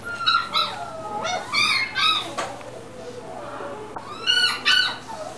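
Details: American Cocker Spaniel at the Inu no Ie pet shop, Mark Is Shizuoka store, Japan: high, harmonic whines and yelps in short bursts, one long sliding descending whine, a pause, then two more sharp yelps indoors.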